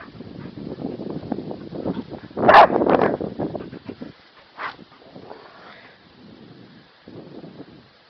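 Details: Kerry Blue Terrier named Bowie barking to coax his owner into playing; low rumbling scuffles lead into a loud burst of barks near the middle, then quieter grumbling noises trail off, with a brief greeting spoken beforehand.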